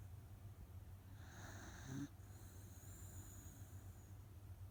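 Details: A single rough snore from Otofu, a sleeping rescue Miniature Dachshund, deeply asleep after tiring out: one drawn-out raspy inhale near two seconds, then quiet breathing against a low background hum.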